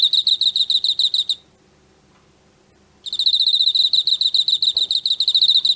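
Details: Emma field cricket caught in autumn, chirping steadily: rapid runs of clear, ringing pulses at a high pitch, stopping for nearly two seconds and then starting again as a long, even train of chirps. No other sounds.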